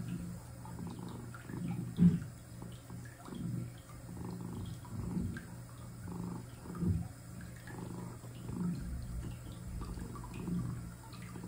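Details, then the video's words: Domestic cat resting across a clawfoot bathtub while it gently fills, purring: a low, steady rumble swelling and fading in rhythmic waves with each breath, one brief louder knock early on, soft running water and drips beneath. "Cat Sitting and Purring"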